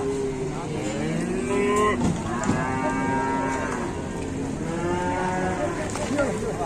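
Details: Moos from a young calf that is running wild and charging around. The moos are long and harmonic-rich, one rising and then fading and a second swelling later, over a constant noisy background.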